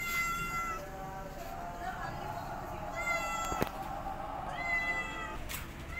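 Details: Mother cat with her kittens while they learn to walk; several loud meows with clear harmonic stacks near 0–0.8 s, 3–3.5 s and 4.5–5.3 s, over a steady background hum and some soft voices.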